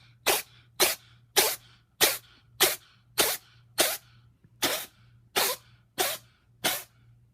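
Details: Pet cat Toto, a female with a bad sinus infection, in a sneezing attack: eleven sharp, explosive sneezes in about seven seconds, roughly one every 0.6 seconds, with a low steady hum underneath.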